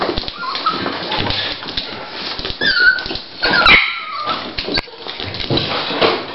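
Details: Dolly, a female Toy Pinscher, at the start of preparing to give birth to puppies: a few high, thin whines rise and fall in short bursts over steady rustling noise.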